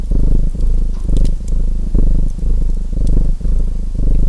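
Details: Deep rumbling purr from a domestic cat, surging and easing about once a second in breath-like pulses, accompanied by light fireplace crackling.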